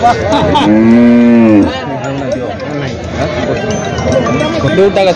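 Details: Water buffalo at the Jawla buffalo market in Parbhani gives one long, steady, low moo lasting about a second and a half. Then a busy crowd and a man talking about the sale take over.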